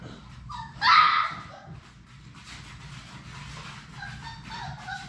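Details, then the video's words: Six Labrador Retriever puppies in their play room, live puppy cam; a loud sharp yip near the start, then softer high whimpers and squeaks amid scuffling and a steady low room hum. "Labrador puppies at play!"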